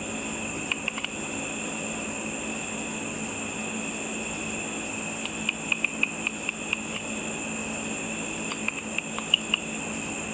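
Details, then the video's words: Night-time bats feeding on insects above a pool, made audible by a frequency-divider bat detector; isolated ticks early, then a rapid run of evenly spaced clicks, later a few more, all over constant hissing tones. "A video of bats with audio of the bat calls."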